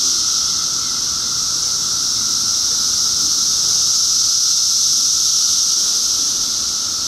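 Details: Dense 2013 cicada chorus forming a constant high-pitched shrill whine with a thin lower tone, steady loudness with no pauses.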